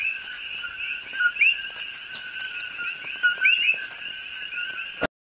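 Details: Invasive coqui frogs on the Hilo side of Hawaii Island, calling between evening and morning. Nearby frogs give several two-note calls, each a short low note followed by a higher rising one, over a constant ringing chorus of distant frogs.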